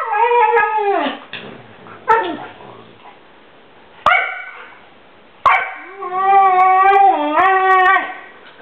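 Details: Siberian Husky, a pet dog vocalizing in irritation at another dog that will not play: loud drawn-out howling whines that fall in pitch, broken by sharp clicks, then a long wavering, yodel-like moan near the end.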